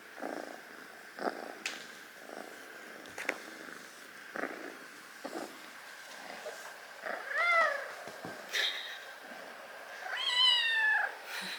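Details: Rescued foster kitten asleep indoors purrs in soft irregular pulses, then gives two short, high, rising and falling meow-like squeaks near the end.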